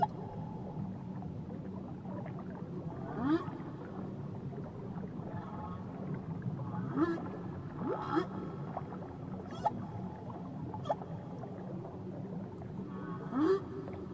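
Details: Underwater whale calls near Tahiti, a series of short upward-sweeping cries and chirps with scattered clicks over a steady sea hiss, louder bursts near the start and end.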